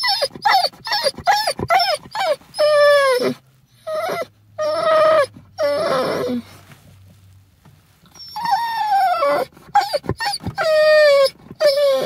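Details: Dog excited on arriving at the vet, giving rapid high yelps and whining, drawn-out howls that waver and fall, in bursts separated by short gaps, with a low hum in the background.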